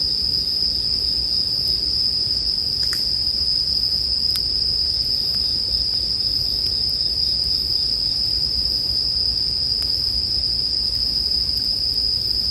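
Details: Steady high ringing of bell crickets with bonfire crackling, sleep background sound; the insect tone never pauses, while a few distinct snaps and pops of burning wood punctuate it.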